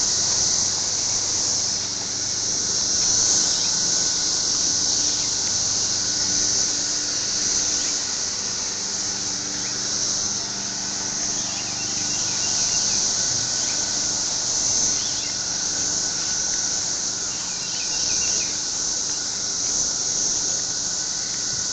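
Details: Cicadas in trees, recorded on an Android phone: a dense, continuous high-pitched buzzing drone that swells and eases gently every few seconds and fills the whole stretch, with faint scattered chirps beneath.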